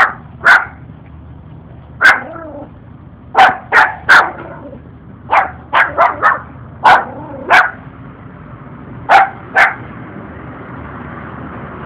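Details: Noisy puppy, one of a pair trailing a stranger, barking as though bigger than him; bursts of short, yappy barks in clusters of two or three across twelve seconds, some with whiny tails, constant low hum.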